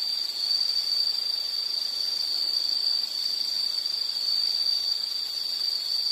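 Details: Unbroken shrill insect trill meant for calm study or sleep, a steady high-pitched ringing tone with little change in loudness over soft background hiss.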